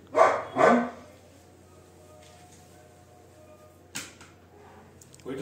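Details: A pet Labrador Retriever lets out a pair of sharp barks at the start, then a long quiet stretch broken by a brief knock-like sound and a faint noise at the end.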